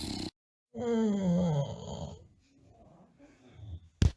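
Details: Sleeping tired bulldog giving one loud whistling snore that slides downward in pitch, followed by softer rattling breaths and a brief sharp noise at the end.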